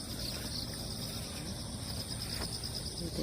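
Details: Crickets calling outdoors after a typhoon has passed, over damp ground where cats wander; a steady high shimmering insect chorus runs throughout, with faint low rumble and a woman's voice quietly talking in the background.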